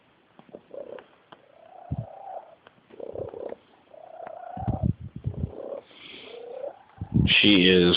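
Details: Odd purring from a pet female kitten: warbling, tonal trill phrases repeated with short pauses and an irregular pulse, with a woman's voice and a sharp louder sound near the end.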